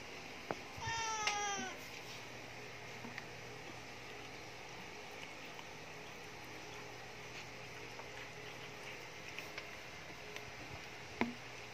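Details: Khao Manee cats fed fresh yellowfin tuna; a single clear, slightly wavering meow rich in overtones lasts about half a second early on, then only faint background hum and a few small clicks remain.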